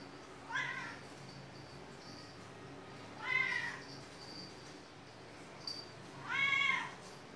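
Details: A domestic cat with a squirrel-like tail meows three times, each call a short, bright, slightly wavering mew roughly three seconds apart, over a steady low background hum.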